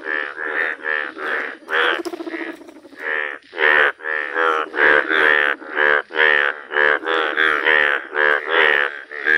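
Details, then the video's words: Rare yellow Indian bullfrog in the wild giving a fast series of short, throaty, bleating croaks. After a softer, rougher stretch near the start, the croaks settle into a steady, pulsing run. "Rare Yellow Frog Wonderful Indian Bullfrog Video | Frog Sounds"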